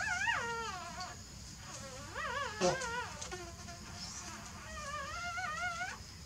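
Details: Sleeping newborn puppies make a few quavering, high whines that waver up and down, each lasting about a second, with soft hiss in the background.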